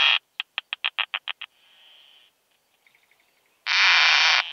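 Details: Keeled plump bush-cricket, Zitzmannsdorfer Wiesen, Austria, 1 June 2020, via Pettersson D 100 bat detector: a brisk series of eight evenly spaced ticks, a thin steady hiss, scattered faint ticks, then a loud broad buzz lasting about a second.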